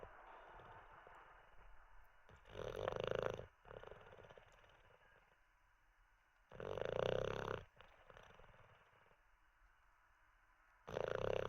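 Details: Sleeping Olde English Bulldogge snoring after treats, indoors: loud, breathy, rasping snores about one second long return every four seconds, separated by quiet, faintly wheezing breaths.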